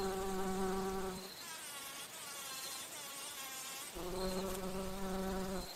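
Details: Bumblebee flying and drinking nectar at flowers: a steady low droning hum rich in overtones, shifting to a higher, thinner whine for a few seconds mid-clip, then dropping back to the deep buzz.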